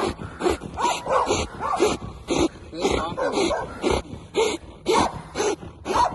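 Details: Belgian Malinois police dog during grip training: a run of short, rasping barks roughly twice a second in an uneven rhythm, a man's voice praising the dog nearby.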